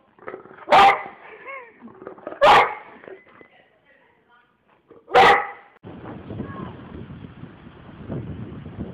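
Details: One of two 5-year-old family dogs, Bodhi the English Bull Mastiff or Roo the Jack Russell, recorded on a phone: three loud, sharp barks spaced a few seconds apart, with a person's voice and laughter, then rumbling background noise.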